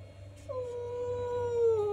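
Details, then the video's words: Angry domestic cat giving one long, steady, drawn-out yowl lasting over a second, holding an even pitch before sagging slightly at the end, with a faint hum in the background of an indoor room. "Cat Sound Angry Sound Meowing"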